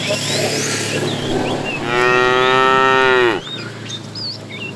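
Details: A fat cow among a tame herd being herded in the afternoon, calling the female, gives a sustained harmonic moo lasting about a second and a half, steady then dropping at the end, over chirping birds and a low hum.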